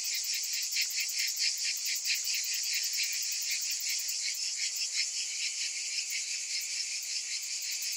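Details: Summer cicadas in a dense, hissing high-pitched drone, with weak uneven pulses rising and falling through a nearly continuous wall of buzzing.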